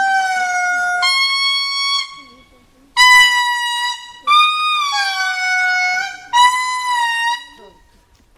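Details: A male indri lemur in Parc Mintsinjo, Andasibe, Madagascar, on 28 September 2019 sings a very loud song of trumpet-like wails, holding each note before stepping up or down in pitch.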